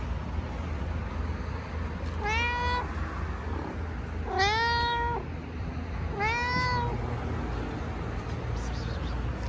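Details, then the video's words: Talkative stray cat from the streets of Istanbul gives three drawn-out meows, each rising then dipping at the end, spaced roughly two seconds apart, with constant low urban rumble behind. "Cute talkative cat meows unbelievably"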